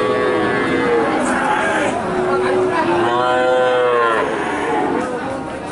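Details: Cattle at a livestock market, a sequence of moos including a rich, arching harmonic call in the middle, other animals lowing nearby, and steady crowd chatter behind.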